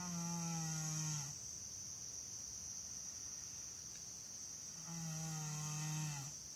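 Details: Sleeping American Saddlebred named Janie giving two resonant, droning snores roughly four seconds apart, the second slightly longer, against a steady ringing chorus of insects.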